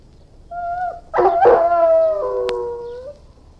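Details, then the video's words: An Irish Wolfhound whines thinly, then breaks into a loud rough howl that settles into a long steady tone and slowly fades, with a brief click partway through. "Irish Wolfhound, Howling, Barking & Whining"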